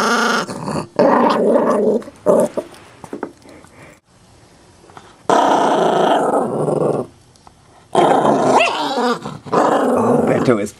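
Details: Chihuahua mix acting tough while guarding a bone, never having bitten anyone; long rumbling growls in three sustained bursts with short pauses, a few sharp yips between, and faint background music.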